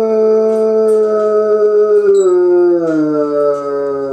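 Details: A Bloodhound, left home alone while its owner is out, gives a long, mournful howl that slowly sinks in pitch.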